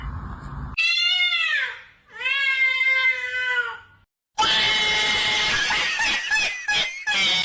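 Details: Two drawn-out falling meows from a cat, each about a second long, followed by a loud stretch of harsh, hissing noise broken by crackles.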